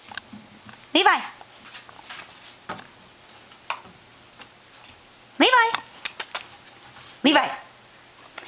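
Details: Puppy about nine weeks old, a new family dog, playing indoors; three short, high, harmonic yips or whines spaced a couple of seconds apart, with soft human speech and quiet room noise between them.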